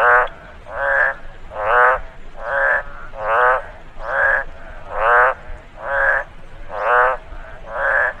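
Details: Ten harsh, vibrating croaks from a frog in a rain-soaked rice field, delivered at a regular pace of a little over one per second, each short and rasping.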